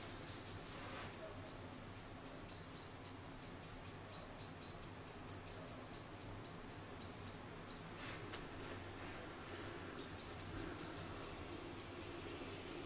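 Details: Charlie, an orphaned baby grey squirrel about a week old, found fallen from its nest in a garden and being hand-reared, gives long runs of faint, high, rapid squeaks in quick bursts, with a brief pause midway before resuming.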